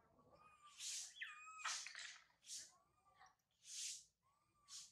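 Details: Baby monkey Sario crying loudly high in a tree after her mother Sarah left her; short falling whining tones mixed with harsh, hissy bursts, roughly one burst per second, with faint background rustle.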